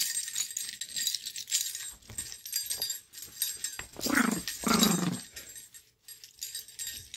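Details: Chihuahua named Lady playing, happy then feisty: two short rough growls in the middle, low and raspy, among jingling and rustling noises from play.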